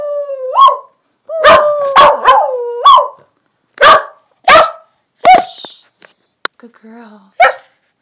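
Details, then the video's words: A female corgi howls on command, giving short, rising yodel-like howls that bend upward and break off, with sharp yips between. "Corgi Howl"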